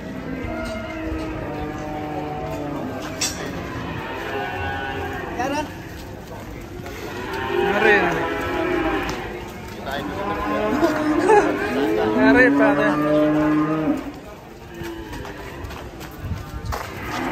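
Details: Angry cow with her calf: several loud, drawn-out harmonic moos, some rising then falling, repeated through the recording amid background music and noise.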